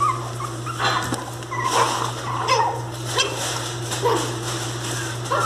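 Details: Mini Pinscher puppies, described as angry, cry loudly with short, high whimpers and yips over a steady, low electrical hum.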